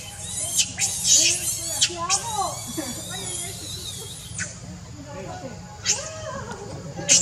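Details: Baby monkey Leo, very hungry, crying and begging its mother for milk: arched, whining wails rise and fall in quick succession, with sharp high squeals near the start and end, over a steady low hum.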